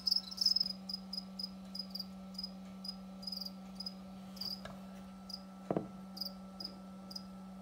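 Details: House crickets kept indoors and bred as food for pet rain frogs: bright, high-pitched chirps in short bursts, repeated roughly every quarter to half second with a few louder clusters, over a steady low electrical hum.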